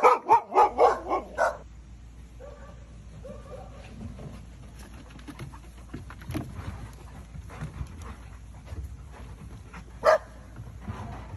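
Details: Dog outdoors on a sunny day, giving a quick run of loud barks in the first second and a half, then quieter yips and rustling, with a sharp bark near ten seconds and people talking of a boat ride.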